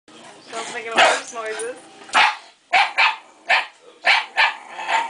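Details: Shiba Inu dog barking as it approaches a plastic bear head: a woman's voice first, then sharp, short barks repeated about every half second, with speech between them.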